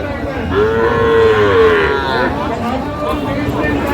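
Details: A Sahiwal bull calf at Raniganj cattle market, bought by a farmer from Barisal on 28 November 2024, gives one drawn-out moo that rises and falls, under crowd chatter and a man speaking.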